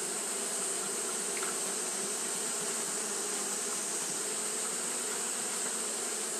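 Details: Japanese honey bees fanning nonstop on a hot day: a dense, unbroken low buzzing hum from many wings, overlaid by a steady bright high-pitched hiss throughout.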